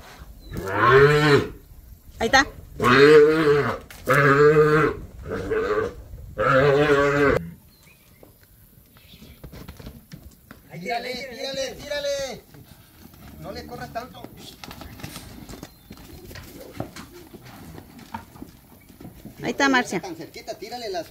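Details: Calves in Campeche, Mexico, on 20 August 2022, being handled with a rope by people; five strong, drawn-out harmonic moos in quick succession, then quieter voices and softer lowing, with one more moo near the end.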